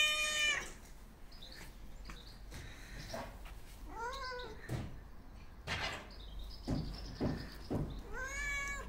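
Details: White and ginger male stray cat, hungry and begging for attention, gives three drawn-out arching meows spaced about four seconds apart, with scattered clicks, taps and faint handling noises between calls.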